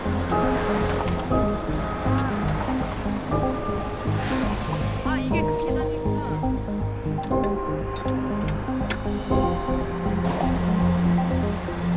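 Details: Steady background music plays with a voice speaking over the sound of rushing water. No animal calls stand out above the music and water.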